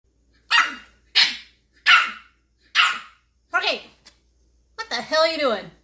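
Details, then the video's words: French bulldog puppies in a funny compilation: five sharp, clipped barks spaced about half a second apart, then a longer warbling whine that bends up and down at the end. "Funny and cute french bulldog puppies"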